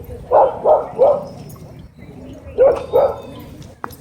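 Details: Dog threatening to attack a person filming at a dog park: loud barks in a quick run of three, a pause, then two more, fairly regular and harsh.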